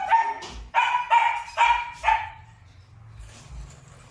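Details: Purebred Malinois at a kennel in Vietnam gives five clear, tonal barks in quick succession about every half second, then quiet with low rumbling background.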